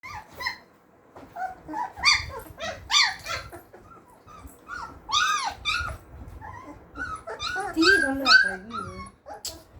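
Labrador Retriever puppies whimper and yelp in overlapping, high, arching cries, with a person speaking faintly.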